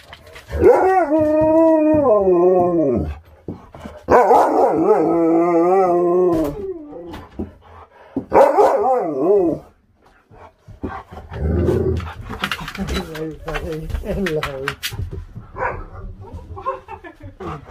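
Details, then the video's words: Siberian Huskies impatient to get outside and play, howling in long wavering harmonic-rich bursts of about two to three seconds each, several in a row, followed by shorter broken yips and clattering noise. "Husky's can't wait to get outside and Play!"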